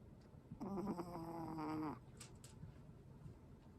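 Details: Pomeranian Ponkichi, a pet dog with tracheal collapse, snores while asleep indoors; one drawn-out, tonal, wheezy snore lasts a little over a second, then fades to quiet room hiss with a few faint clicks.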